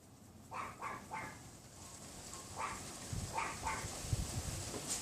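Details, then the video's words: Unseen neighbour's Pomeranian yapping in its yard beyond a wooden fence, windy afternoon, 6 February 2015; three rapid yaps, then scattered single ones, while gusts of wind rumble low and grow stronger toward the end. "Neighbor's dog barking / yapping on WINDY afternoon"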